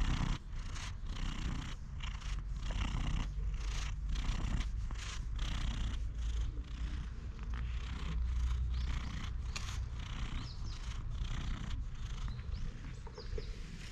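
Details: Stray cat purring while being stroked outdoors, filmed on a GoPro HERO8: a steady low rumbling purr runs throughout, broken by frequent rustling and scratching handling noises.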